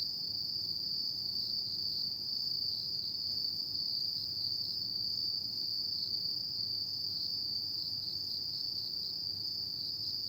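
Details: Night chorus of autumn insects, one continuous high-pitched trill with a slight pulsing shimmer, running unbroken throughout over a faint low background hum.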